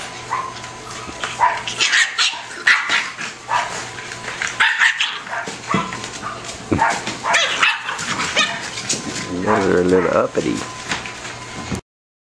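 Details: A litter of bulldog puppies at five and a half weeks, play-fighting indoors: sharp high yips and squealing barks in quick uneven bursts, with a person talking over them, then a sudden cut to silence at the end.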